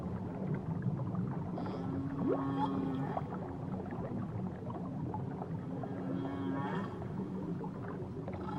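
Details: Underwater whale calls recorded off Tahiti: a sharp upward sweep flowing into a long low moan, then a second long low tone with wavering higher notes some seconds later, over dense clicking crackle.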